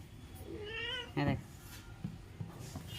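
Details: A house cat's brief wavering meow rises and then dips, followed at once by a person's Bengali speech and scattered knocks indoors.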